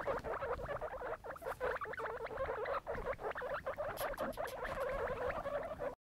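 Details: Several baby guinea pigs squeaking together in a pet enclosure: a continuous stream of quick, closely spaced chirps and chattering notes with some rustling, forming a busy unbroken chorus for six seconds.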